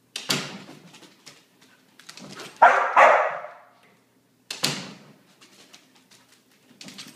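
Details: After three days of rain, a Border Collie barks in a small room: a sharp single bark, then a double bark at mid-clip, another single bark later, with faint scrabbling and clicking sounds in the quiet gaps.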